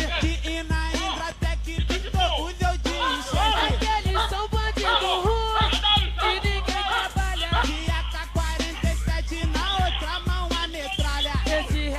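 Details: Loud hip hop music with rapped vocals and a thumping beat throughout; no animal voice.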